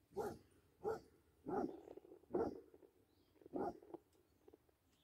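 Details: Basset Hound barking while playing with a deer: five strong, deep barks spaced roughly every half second to a second, each with a rough, resonant tone, little else audible.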